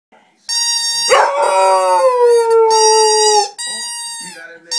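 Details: Pet Cocker Spaniel singing: after a brief opening sound, one long, steady, tonal howl holds for about two and a half seconds and drifts slightly lower. A shorter, quieter, wavering tone follows.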